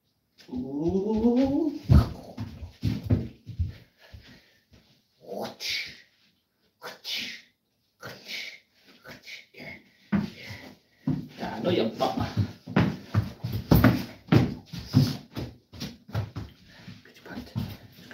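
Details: Nova, a Cane Corso, playing tug of war indoors in a small room: a brief rising whine opens, then bursts of low rumbling growls and scuffling, with a person's voice now and then.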